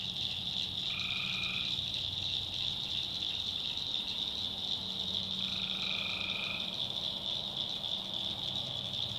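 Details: Tree frogs in a North Carolina backwoods swamp after dark hold a constant high shrill chorus, while a lower rattling trill sounds twice, near the start and midway.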